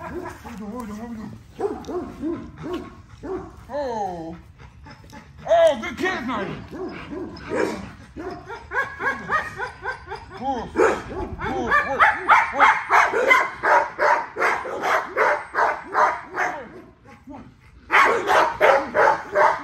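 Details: XL American Bully working out in its everyday exercise routine: early whining cries give way to a long rapid string of sharp barks, roughly three per second, pausing briefly before a final burst.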